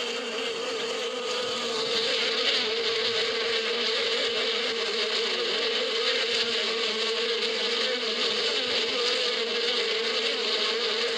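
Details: Bees in spring in the badia (desert steppe): a continuous, dense droning hum holding a steady low tone with a bright, hissing wash above it, unbroken for the whole stretch with no other clear sounds.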